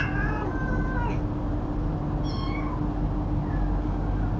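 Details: Cats, an adult and a kitten, meowing while eating and fighting over food; a drawn-out, falling meow followed by two shorter, higher mews, over a steady low hum and rumbling background.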